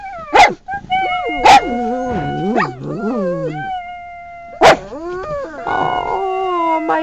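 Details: Little pugs in a car defending their territory against possible predators: sharp barks break into long, wavering howls that rise and fall, then more barks and a throaty howl, with a woman's voice praising them nearby.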